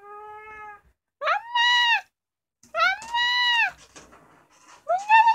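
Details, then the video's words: Kkomaengi, the youngest of the family's cats, a ginger female about two years old, meowing indoors at night: a flat tone, then three loud drawn-out meows that rise, hold and fall, about a second apart. "울집막내 고양이 꼬맹이 울음소리 The youngest cat in my family's house cries"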